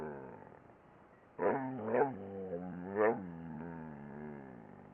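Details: A dog 'talking': low, drawn-out moaning voice with rich harmonics, wavering up and down in pitch, with several louder swelling bursts about half a second apart, then a long sustained groan.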